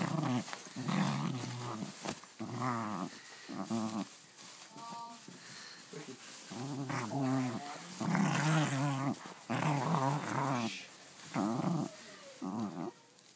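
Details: A dog absorbed in its new play toy produces a long run of odd alien-like growls and moaning warbles, rising and falling in choppy bursts almost without pause, recorded inside a small room.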